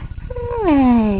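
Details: Pet cat greeted in the morning gives a single drawn-out meow that starts level and slides downward, over a low rumbling purr.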